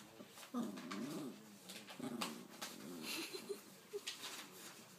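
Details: Domestic dog making speech-like 'talking' sounds: a rising and falling, wavering whine-moan followed by several short, high squeaky yips, recorded indoors with a person's voice faintly audible.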